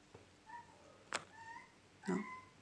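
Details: A hungry tom cat meows repeatedly, calling for attention and food though food is out, sounding as if calling kittens, with one sharp knock between calls.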